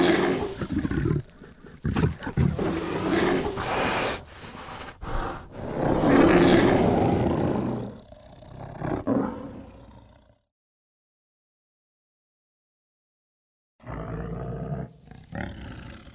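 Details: Asiatic black bear in wild Vietnamese forest uttering a series of harsh roaring growls in uneven bursts, strongest midway, then a few seconds of dead silence before more rasping sounds resume.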